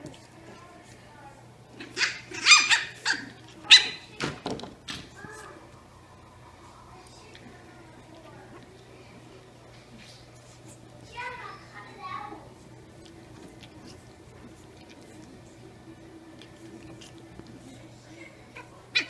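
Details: Two 8-week-old Brussels Griffon puppies, twin sisters, at play indoors, with a 3-year-old black Labrador Retriever present; a cluster of sharp, high yapping barks and squeals early on, a second short burst later, steady low room hum between.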